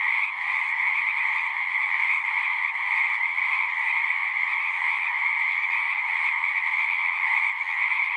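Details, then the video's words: Frogs in full chorus outdoors, countless overlapping calls merging into an unbroken, even drone of rapid trilling notes that holds steady throughout. "One hour of singing frogs."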